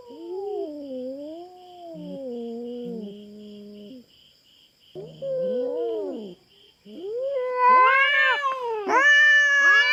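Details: Territorial standoff between a wild feral cat and a black farm cat in the Philippines; low, moaning yowls with a growl, a pause, then louder, higher, strained caterwauls rise near the end over a constant high-pitched background drone.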